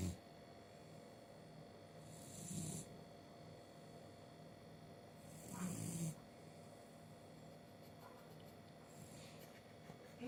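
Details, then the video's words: Goose, a pet beagle, sleeping after a nice walk and a busy day. Soft, steady snoring with two louder breathy snorts about three seconds apart and a fainter third one near the end, over a constant low indoor hum. "Snoring beagle"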